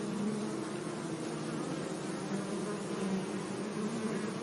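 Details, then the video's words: Gentle buzzing of bees around meadow flowers in sunshine, a low droning hum with slight rises in pitch, over constant airy background hiss. "Relaxing Bee Sounds"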